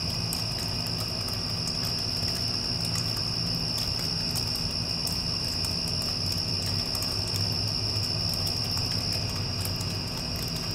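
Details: Crickets calling after a passing storm, a steady unbroken high trill running throughout over the deep constant hum of an air conditioner, with faint scattered clicks.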